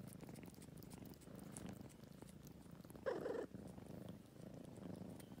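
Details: An old adopted former stray male cat grooming at Greenhouse Cafe in Tagaytay, purring softly in a low steady rumble with gentle swells, broken near the third second by a brief louder scratchy burst.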